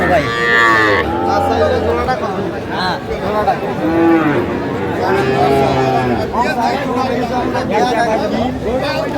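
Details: Sahiwal cattle, including bulls and calves, at a Bangladeshi livestock market where a farmer from Cumilla buys; loud drawn-out moos with rich harmonics rise over busy market chatter and men's voices haggling.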